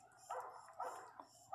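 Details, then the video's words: Pinscher cries at the birth of Riqueza's first puppy, indoors: a few short, high, squealing whimpers, each rising then falling, spaced about half a second apart. "Nascimento do primeiro filhote da pinscher riqueza cadela chora muito alto!!"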